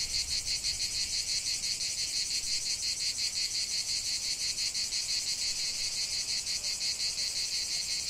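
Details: In a lavender field, cicadas keep up a bright, grating high-pitched trill pulsing steadily at roughly three beats a second, with no gaps and no other sounds.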